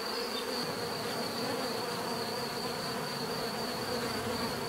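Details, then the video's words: Bees humming in an unbroken, busy drone, many wingbeats blending into a rich buzz at constant volume, a faint high whine above. "bees therapy relaxing natural buzzing sound"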